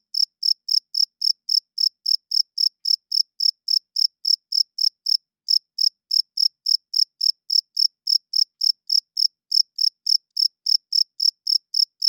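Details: Cricket calling at night with a long, steady train of piercing chirps, close to four per second, pausing briefly only once or twice, in otherwise total quiet.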